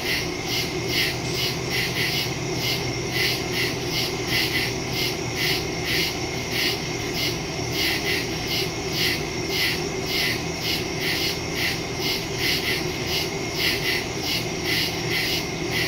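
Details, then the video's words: A nighttime forest chorus of crickets recorded September 2, 2023 on a phone with stereo mic; high, rapidly pulsing chirps repeat without pause, many callers overlapping, with a low steady rumble below. "Crickets in the woods at night"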